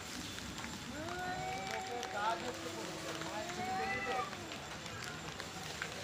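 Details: Two male cats squaring off over area and breeding give low, sustained moaning yowls. The yowls slowly rise and fall and overlap one another, with a dense hiss of background noise.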